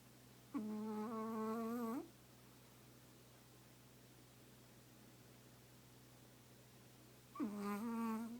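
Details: A Chihuahua naps curled into its owner's lap, giving drawn-out, reedy snores about one and a half seconds long, one near the start and another close to the end, with quiet breathing gaps and low electrical hum between.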